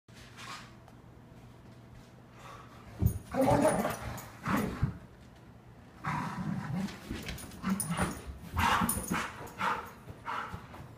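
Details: Airedale Terrier named Ronie giving a morning greeting: a few scattered barks and vocal bursts after a quiet start, with a steady low hum underneath.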